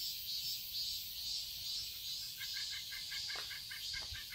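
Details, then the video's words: Summer cicadas in a Seoul garden, Korea, keep up a continuous shrill buzzing chorus. In the second half a quick series of short, evenly spaced chirping notes joins in, with a couple of soft low thumps. "Cicadas chirping sounds"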